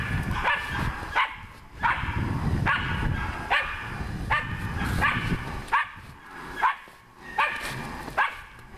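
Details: Nora, a dog working a wild boar, keeps up persistent barking: about a dozen bright, harmonic barks, some in close pairs, with brief gaps between, over continuous low-pitched background noise.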